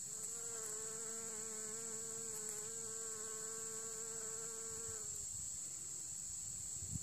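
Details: Bees foraging on planted heather in sunshine at L'Escarène, autumn 2016: a steady, low, harmonic-rich hum lasts about five seconds, then fades, leaving a constant high hiss in the background.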